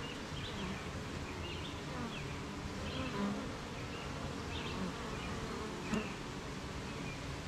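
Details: Honey bees at a beehive on a rainy morning, with gardens, farms and fields nearby. A dense, steady low hum of many bees continues throughout, with faint higher chirps and brief louder buzzes of bees passing close.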